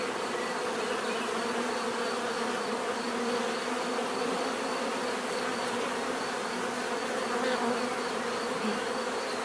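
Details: Steady hum of a bee swarm, an even, unbroken buzzing drone of many wings holding level throughout, offered as relaxing natural bee sound.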